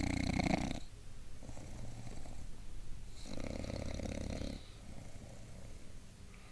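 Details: Gilbert the bulldog dozes upright, letting out loud, throaty snores: a short burst at the start, then a longer rattling snore lasting over a second, with softer low breathing between.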